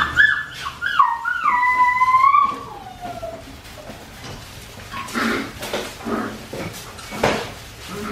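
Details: Australian Shepherd puppies from Winnie's litter, aged four weeks and five days, give high tonal whimpers. The whines slide downward with clear overtones over the first three seconds, then fade into softer scattered squeaks and shuffling.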